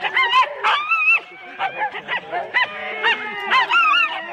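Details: Sled Huskies in four-dog teams at a Rendlesham start, January 2016: short honking yelps and rising-falling whines come in quick uneven bursts from several excited dogs.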